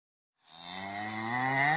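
A cow gives a loud, drawn-out moo that starts suddenly and slowly rises in pitch.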